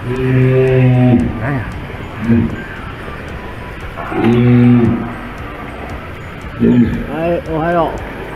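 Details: Walrus, one of two captive females at Ise Sea Paradise aquarium, Japan, whose voices staff tell apart, gives deep, moo-like bellowing calls, then a shorter run of rising and falling harmonic notes.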